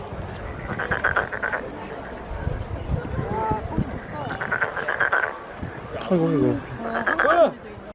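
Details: Frog at the Nowon lantern festival in Korea, swelling its cheeks as it calls: three short bursts of buzzy pulsed croaking, each about half a second long, separated by pauses filled with people talking and crowd noise.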